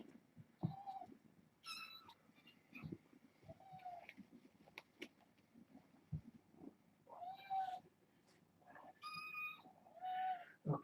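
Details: Six young kittens born August 29th, a litter of four females and two males, meowing at bedtime indoors; several thin, high harmonic mews, some short and some drawn out, scattered across the stretch with soft rustling and knocks between them.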